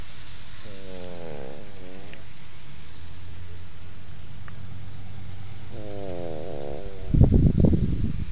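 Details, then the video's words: Two long, rattling snores from an asleep French Bulldog, several seconds apart, each rough and buzzy with a wavering pitch, followed by a louder, noisy rustle or shuffle at the end. "French Bulldog Snoring"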